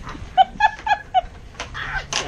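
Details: Tonka, a 110 lb Alaskan Malamute, plays tug with an 86 lb pit bull named Capone and two boys over an octopus toy: four short tonal yips or whines about a quarter second apart, then rougher noisy sounds and a child's voice.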